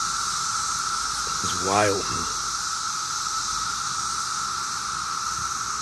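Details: Swarm of 17-year cicadas in Maryland on a summer day, their continuous even-pitched drone filling the air, briefly overlapped near the middle by a short burst of a man's voice.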